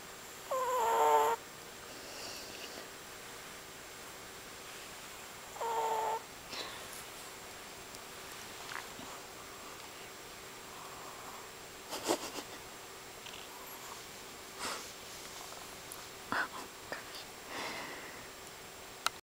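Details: Tired long-haired Chihuahua asleep with a second dog resting on top of his neck, letting out two whistly, wheezing breath sounds early on, followed by faint rustles and small knocks.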